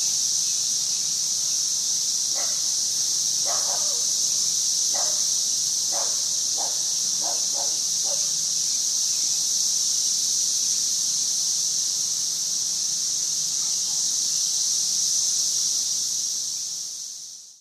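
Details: Cicadas, 2011, keep up a continuous piercing high drone at constant strength. A few brief, lower clicks or chirps break through in the first half before the sound fades out at the very end.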